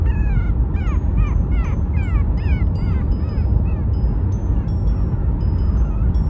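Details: A Chihuahua puppy, on the day it is brought home, whines in quick, high, downward-sliding cries, wanting to be held during the car ride home. Steady high tones and a low rumble sound behind.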